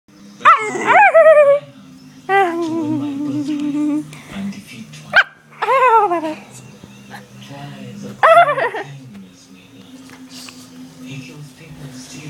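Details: Daisy, a pet dog, vocalizing in her usual talkative way: short sharp yelps that slide into wavering, falling howl-like whines, several separate bursts with quieter gaps and a low steady hum beneath.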